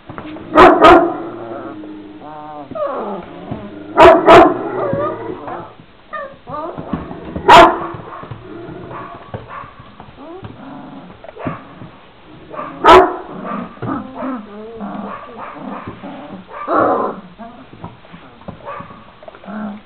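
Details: Young Šarplaninac puppies aged 26 days barking: loud short barks come in bursts roughly every few seconds, some doubled, between rising and falling whines and yelping calls from several pups.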